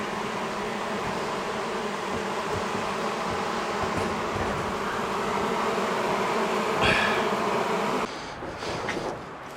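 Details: Honey bee colony disturbed during a house-wall cutout rescue, day one, March 6th, turning angry after dark; a thick continuous droning buzz with faint pulsing, then sharp scraping and handling noises over the final seconds.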